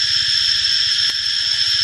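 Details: A cicada gives a steady, high, shrill buzz that holds without a break, and it sprays liquid (urinates) while calling.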